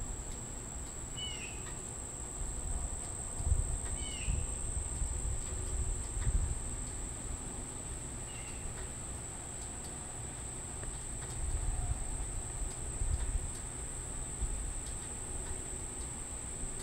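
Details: A steady, shrill high-pitched monotone drone from an unidentified insect near Monticello Lake, Arkansas, 6:29 pm on 14 July 2012; a Tibicen tibicen cicada at first, wind noise and a few bird chirps.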